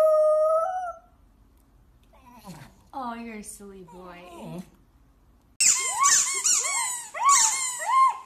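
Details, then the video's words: Poodle barking and howling: a drawn-out tonal note and a human voice come first, then a run of sharp, high yelping barks with ringing overtones in the last few seconds. "POODLE BARKING - POODLE HOWLING AND BARKING"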